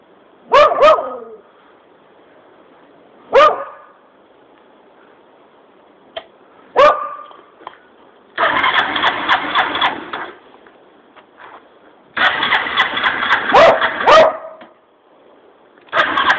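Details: Border Collie Kerry barking at the sound of a motorcycle exhaust: single sharp, loud barks spaced a few seconds apart, with two stretches of roaring, revving engine noise and a quick double bark during the second.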